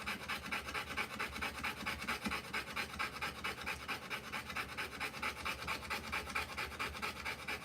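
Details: Whelping Rottweiler female giving birth to a litter; quick, regular, breathy panting beats steadily at roughly two per second from start to finish, with a brief soft squeak near the middle.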